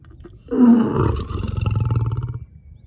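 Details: A lion gives a deep, powerful roar that swells quickly and fades into rumbling, pulsing grunts.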